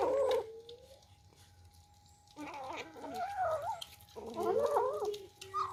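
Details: Young kittens competing over their first meal, a brief meow followed by a pause, then overlapping rapid, warbling mewing from several kittens at once, with a constant low electrical hum behind.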